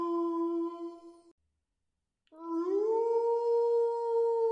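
A wolf howls in two long, smooth notes: one held low, then one sliding up and sustaining.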